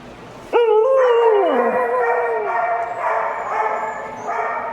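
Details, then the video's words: A pet dog wanting cuddles gives a long, high whining howl that bends down and trails off, followed by softer whimpering, with a woman talking affectionately nearby. "Penny Wanting the Most Cuddles"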